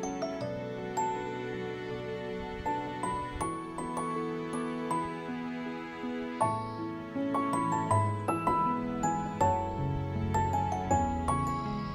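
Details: Soft, gentle background music of chimes and sustained keyboard notes; no animal sounds are heard.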